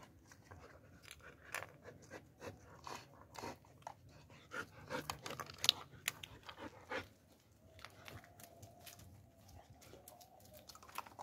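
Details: German Shepherd panting: quick breathy puffs repeated roughly twice a second for the first seven seconds, then a faint steady hum underneath softer breaths indoors.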